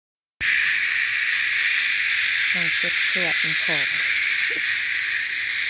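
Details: Cicadas drone in a steady, unbroken high-pitched hiss that fills the whole recording after a sudden start, while short bursts of human voices cut in briefly midway.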